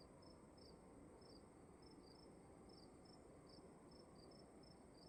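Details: Night crickets indoors in a dark room, giving quick high chirps in pairs and short runs, two slightly differing voices alternating, with a quiet continuous low-frequency hum underneath.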